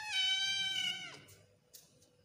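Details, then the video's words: An odd-eyed Persian kitten gives one high, drawn-out meow that holds steady, then drops away at the end. "Persian kitten meowing"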